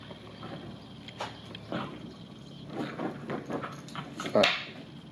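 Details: Bichon Frise dog, upset after being out in the rain, gives short snorting whimpers and grumbling noises in bursts, with footsteps and rustling nearby.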